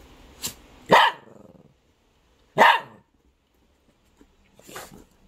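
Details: Elderly mixed-breed dog, thirteen years old and living with its brother, answering its owner's repeated question about wanting food with sharp barks; two loud barks about a second and a half apart, then a softer one, with quiet gaps between.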